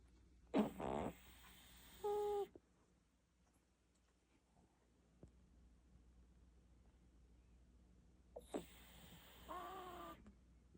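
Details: Sleeping Shih Tzu dog snoring: two breathing cycles about eight seconds apart, each a rough, noisy snort followed by a short, higher whistling wheeze, with near silence in between.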